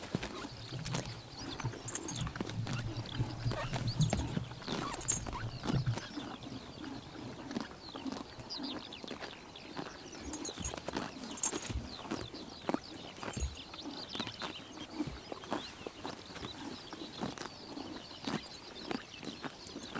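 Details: Horses grazing in Tuv province, Mongolia, on a summer morning, eating grass: steady crisp crunching and tearing bites with soft chomping throughout, a faint low rumble in the first seconds, outdoors with no voices.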